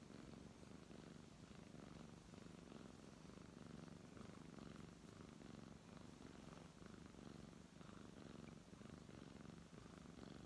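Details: Purring brown tabby cat under steady stroking, a continuous low buzzy rumble pulsing about once a second as the cat breathes in and out, in a quiet room.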